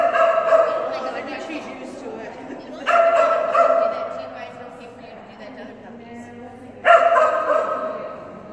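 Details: Phenix, a female Kerry Blue Terrier, barks during an agility class: three strong, resonant barks spaced about three to four seconds apart, echoing in the hall, with soft speech underneath.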